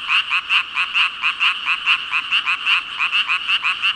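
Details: Frog chorus said to hold about five thousand frogs, a dense wall of rapid croaking pulses repeating roughly twice a second, with energy centred high and overlapping callers blending into one throbbing ribbit-ribbit.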